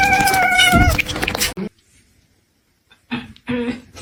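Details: Kitten meowing in a home compilation, one drawn-out, slightly falling meow filling the first second and a half, followed by silence and brief human speech.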